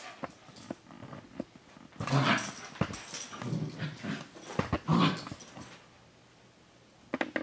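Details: Senji and Chloe, a dog and her younger puppy sibling six months apart, playing together; a loud run of low growls and grumbles in the middle, fading to near silence near the end.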